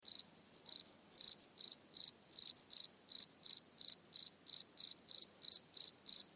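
A cricket chirps close by in short, pulsed, high-pitched bursts, repeated steadily about three times a second.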